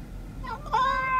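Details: Domestic cat prompted by its owner to say hey answers with one short meow that rises and then holds steady, following soft speech.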